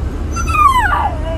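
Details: A talking Siberian Husky gives one drawn-out, whistly whine that slides steadily downward in pitch over about a second, with a low steady hum underneath.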